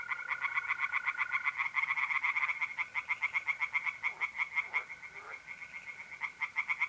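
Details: Singing tree frogs at a pond on an April night in north-east Italy, a dense, rapid train of harsh pulsed croaks, roughly four a second, with mole crickets trilling steadily underneath.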